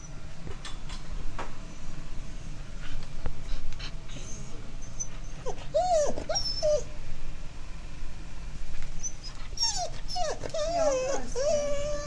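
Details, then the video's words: Lucy, an Alaskan Malamute, whines in fear during a short summer rain with thunder, giving wavering, rising and falling high whimpers in two bursts midway and near the end over steady low rain rumble. "Lucy's Scared of Thunderstorms"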